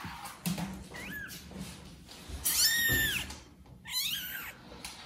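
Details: Domestic kitten, one of four born to a mother cat named Judy who neglects them, meowing loudly to call her; three rising-falling meows spaced about a second apart, with soft thumps and low room noise between them.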